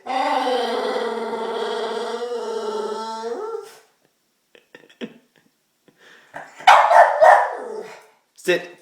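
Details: Pet dog, excited and anxious about a treat, producing strange bird-call-like noises: a long, level, tonal whine lasting nearly four seconds, quiet clicks, then a loud bark and a brief yelp.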